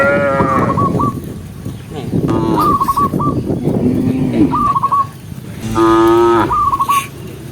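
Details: A herd of tame cows being herded along a rainy green forest road: short, low moos come in bursts. Repeated groups of quick whistled chirps and a steady patter of background noise run underneath.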